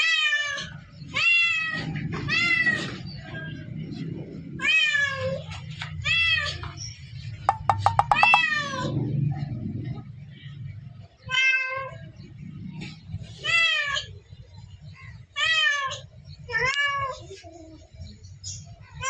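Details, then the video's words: Cat meowing irregularly: drawn-out, wavering meows, some in quick pairs, with a burst of sharp clicks near the middle. A low rumbling background hum comes and goes beneath the calls. "Cat sounds"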